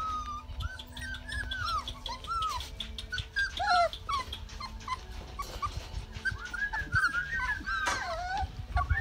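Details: Georgia's Rottweiler pups, day 33, Canada, potty-training time: a steady chorus of thin, bending whimpers rising and falling from several puppies at once, with faint scuffling below.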